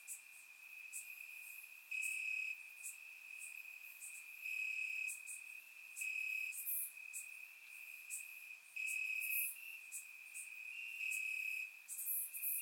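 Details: Night chorus of crickets in summer grass, recorded in Bulgaria with a surround microphone; a continuous shrill trill underlies the whole stretch while louder pulsing phrases surge in and fade every couple of seconds.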